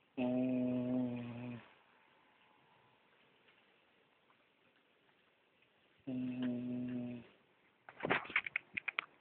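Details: A sleeping female dog snores: two drawn-out, steady, nasal droning breaths, each over a second long and about five seconds apart, with near silence between them and a short burst of clicking near the end.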